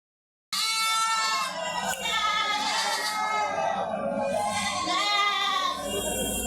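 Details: Totapuri goat offered for sale, giving loud, continuous wavering bleats with a strong quavering vibrato and rich overtones. The bleats swell and dip across about six seconds. Faint background voices can be heard.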